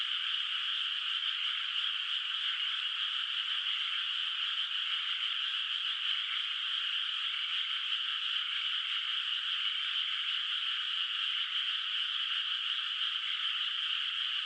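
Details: Night chorus of frogs echoing over an unplanted, moonlit paddy field in the countryside; continuous high, buzzing trills blend into a constant drone with no pauses or changes in loudness.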